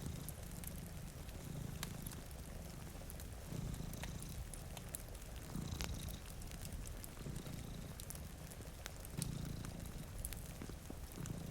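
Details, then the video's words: Two cats asleep before a rainy window purr steadily, a low rumbling pulse in rhythmic waves, while raindrops patter and a fireplace crackles with sharp pops throughout. "Purring Cat"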